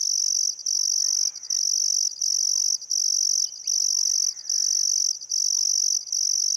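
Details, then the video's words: Sunset cricket chorus beside the Barcoo River in Welford National Park, Outback Queensland, on a still summer afternoon: bright, high continuous trilling broken by short pauses roughly every 0.8 seconds, with soft bird whistles and calls in the background. "Australian Sunset Chirping Crickets"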